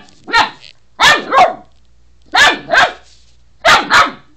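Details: Pet dog barking at a toothbrush it is attacking, phone recording; three paired bursts of sharp, high yapping barks, each pair about 1.3 seconds apart, otherwise quiet.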